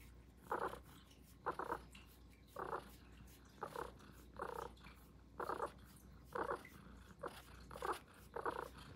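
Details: Highland Lynx cat purring as it wakes up, recorded close up indoors in an ASMR style; rhythmic rasping bursts roughly once per second over a steady low hum, no other clear sounds.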